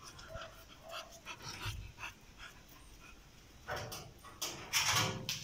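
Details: Four-month-old red-nose pit bull puppy at evening playtime, which it always looks forward to: quick breathy panting puffs that grow into louder, rougher huffs and snuffles over the last two seconds.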